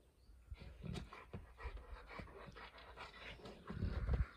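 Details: A Great Dane and a Saint Bernard play together: low rumbling growls and heavy breathy panting, with a louder, rougher growling burst in the final second.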